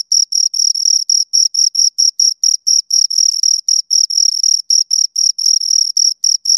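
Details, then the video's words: Pair of crickets stridulating close up: rapid, evenly pulsed high-pitched chirps in brief packets, several per second, clean and continuous without any other sound. "Two Crickets Chirp Sounds for Two Hours Right on Your Ears"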